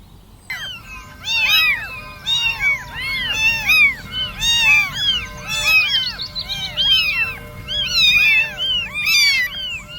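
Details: Several kittens crawling around and crying for their mother's milk; a dense chorus of high, arched, overlapping mews nearly a second apart, continuous throughout.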